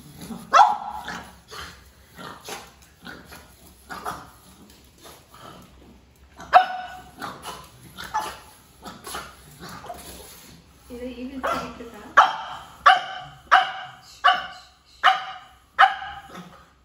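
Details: A pug puppy barking vigorously out of fear of a peacock feather: a long run of sharp, high barks, fast and uneven at first, then louder, evenly spaced barks roughly every second toward the end.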